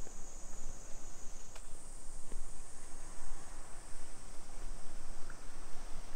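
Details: Cicadas droning on a July afternoon, 2 PM, 28 July 2021, in suburban Nisshin near Nagoya, Japan; an even, piercing high buzz that shifts slightly upward after a second and a half, with a brief click and low traffic-like rumble beneath.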